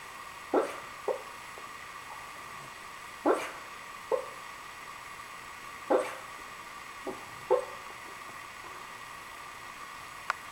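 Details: Dreaming in her sleep, Riley the Cavalier King Charles Spaniel produces soft, clipped yips and whimpers, often in pairs, every two to three seconds over a quiet indoor background.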